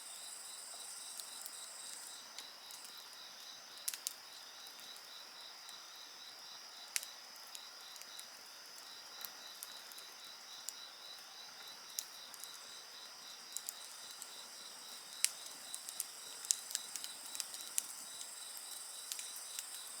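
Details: A continuous high insect chorus, shrill and layered, with a beaded pulsing trill underneath, while a campfire crackles with scattered pops that grow more frequent toward the end.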